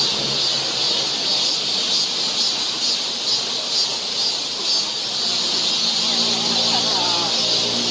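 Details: Summer cicada chorus along a forest trail in Seoul, Korea: a continuous shrill buzz with gentle rhythmic pulsing, and a few faint, thin whistled notes near the end.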